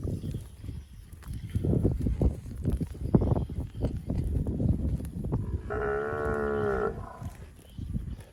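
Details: A fat cow grazing on grass among bushes; steady munching and rustling of vegetation fill most of the recording before a single clear, harmonic, level moo of just over a second near the end.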